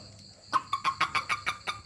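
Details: A toad, touched by hand, lets out a fast series of about eight croaky, clucking pulses in under a second and a half after a quiet start.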